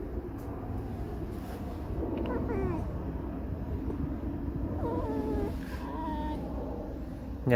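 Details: Alisa the fox, irritated, squeaking her sad, mournful 'song': two bursts of thin, wavering, whiny squeals, the second slightly longer, over a steady low rumble with a human voice nearby.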